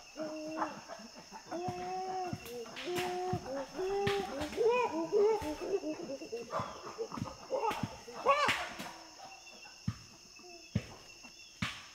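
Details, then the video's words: Wild chimpanzees feeding in Ivory Coast's Tai Forest: a run of brief, flat-topped tonal grunts repeated roughly every half second, building into overlapping squeaky calls mid-way, then thinning out to scattered grunts. "Chimpanzee. Panting And Feeding Grunts"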